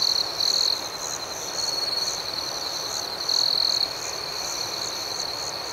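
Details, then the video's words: Crickets chirping through the night: constant shrill high tone with rhythmic pulses, and several louder trilled stretches, the longest about half a second, standing out from the steady background chorus. "Soothing Cricket Sounds"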